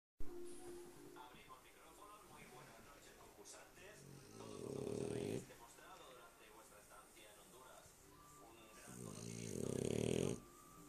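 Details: Lúa, a pet dog, asleep and snoring: two long, low rumbling snores about five seconds apart, each swelling and then stopping abruptly, with voices or television chatter murmuring underneath.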